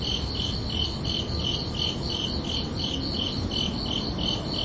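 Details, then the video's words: Under a peaceful night sky, crickets chirp in quick, even high pulses, around three per second, with two close tones layered together and a gentle low rumble underneath. "Calming Cricket Sounds for Relaxation"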